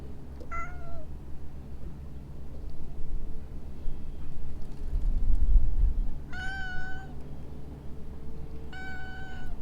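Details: Stray cat calling from inside shrubbery: three drawn-out harmonic meows, one near the start and two later about two seconds apart, each level then falling slightly, over constant low-frequency traffic-like rumble.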